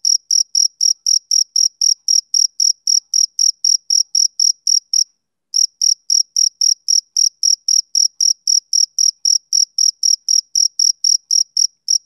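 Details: Steady, high-pitched chirps from a male cricket, roughly four every second, with one brief pause midway before the regular pulsing carries on; clean with no background noise.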